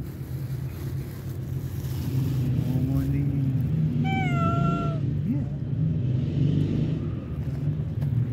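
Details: Hungry stray cat meowing outdoors, a pregnant mother among them: one clear falling meow amid a low droning background of vehicle rumble and faint voices.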